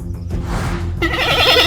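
A giant panda gives a wavering, goat-like bleat after a low rumbling start.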